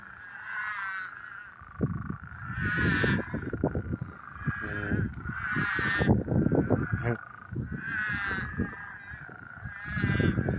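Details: Many frogs singing at night in summer in a little marsh by an irrigation ditch in the desert, raspy harmonic croaks repeated every two to three seconds.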